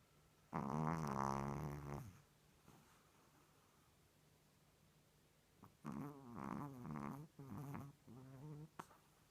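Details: A female Chihuahua sleeping with her tongue out and eyes open snores in rough, buzzy, low-pitched bursts, one long drawn-out breath and then several shorter ones.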